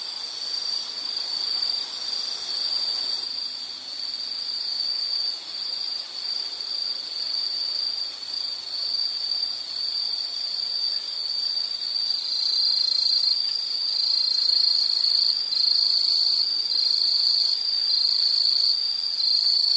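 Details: Insects calling in nature: a continuous high-pitched shimmering drone, growing louder and more pulsed toward the end, with soft low background noise.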